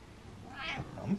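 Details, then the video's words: Short, muffled meow from an attention-seeking house cat indoors, brief and soft, ending in a low thud. "Meowing Cat Likes To Be Center Of Attention"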